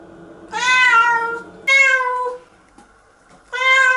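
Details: Pet cat Nora yowls while resisting a shower bath indoors; three sustained, slightly wavering meows, the first two nearly back to back, then a pause before a third bright, strained cry.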